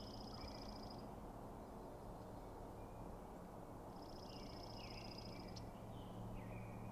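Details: The Sheriff, the largest elk bull, faces an aggressive challenger at night with several other bulls present. Two shrill, buzzy whistled bugles arrive about three seconds apart, followed by lower swooping notes, over a steady low-pitched rumble.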